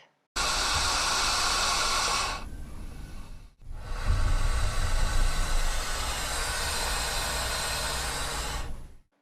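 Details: Green anaconda (Eunectes murinus), hiss.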